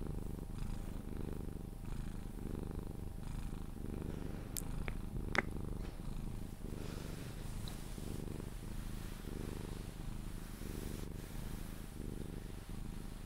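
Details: Sphynx cat purring while cuddled, continuing until it falls asleep; deep continuous rumbling purr pulsing in a regular rhythm of roughly one swell per second, with a few faint clicks and rustles.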